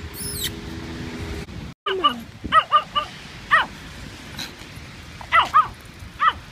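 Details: Small Pomeranian in rain boots giving sharp, high yaps in quick clusters of three or four, then a pair and a lone yip, after a short steady tone and a moment of silence at the start.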